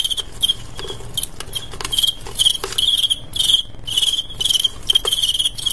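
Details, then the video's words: Male crickets set to fight each other, the chirping loud and bright, given in short pulsed bursts repeated through the clip with brief gaps, and faint tapping or scuffling noises between the bursts. "ADU JANGKRIK "cricket fight ""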